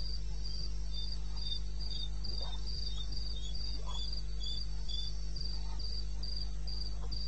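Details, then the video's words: High-pitched cricket call from the wilderness of eastern Botswana, recorded at 2:30 AM on 21 May 2016; bright pulses tick regularly about four per second above a low steady hum, with faint occasional clicks. "1 Hour cricket sound"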